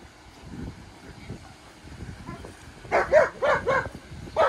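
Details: German Shepherd named Maya during off-leash obedience training with Off Leash K9 Training of Detroit; a run of about five loud, sharp barks in the last second and a half, preceded by quieter muffled sounds and background noise.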